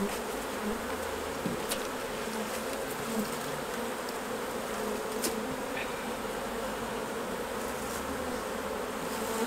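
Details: Steady droning of numerous honey bees at hives during honey harvesting, an unbroken buzzy hum throughout with occasional faint ticks and knocks.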